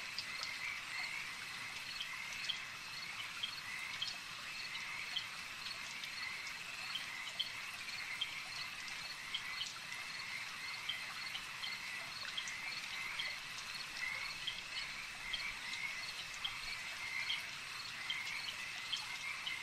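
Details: Lake frog chorus, many callers overlapping in quick repeated clicks and pulses, a continuous shimmering wall of sound with occasional brighter notes standing out, steady in loudness throughout.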